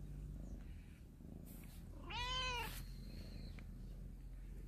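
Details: A cat from a family sheltering in a storehouse, out in the morning sunshine, gives a single clear, drawn-out meow that rises then falls, with a faint bird whistle after it and low background hum.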